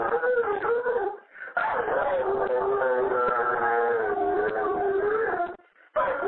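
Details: Pet Dobermann yodeling a happy birthday message over a phone voicemail: a long, wavering, moaning howl that holds near one pitch with slight wobbles, broken by short pauses, in a small room with a muffled, narrow-band phone sound.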